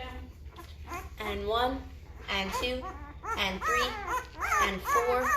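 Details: Litter of five-day-old Great Bernese puppies, a Great Pyrenees and Bernese Mountain Dog cross, getting noisy: overlapping high arched whimpers and squeals in quick, irregular succession, growing louder toward the end.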